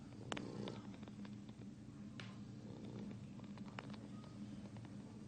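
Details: A lazy 3-month-old English Bulldog puppy snores with a steady, low, rattling rumble and a few faint clicks.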